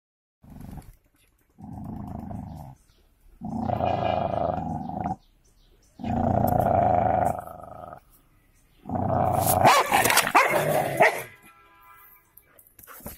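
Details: Golden Labrador and cocker spaniel fighting, sounding as long rough growls in bursts of one to two seconds separated by short silences, the last burst harsher with snarling noise.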